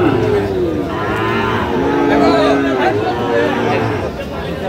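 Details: Sahiwal bull calves at a crowded cattle market in Sirajganj, Bangladesh, 5 August 2025; a drawn-out, mid-pitched moo holds steady across several seconds beneath constant human chatter and crowd noise.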